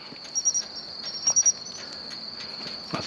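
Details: A male pine cricket sings on an October 13 evening by a roadside while insects are collected at night, bright, high two-note chirps about a second apart over other insects' unbroken ringing trill.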